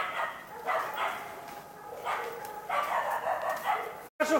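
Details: Karelian Bear Dogs (Karelian-Finnish laikas) Rus-Fin, aged two, and Kaya, eight months, working a penned wild boar while training for trials: a run of sharp, mid-pitched barks in uneven bursts, some doubled, with quieter gaps between.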